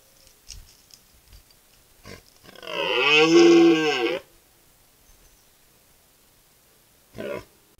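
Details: A red deer stag in the upper Verdon gives one deep, hoarse rutting bellow that swells and fades over about two seconds.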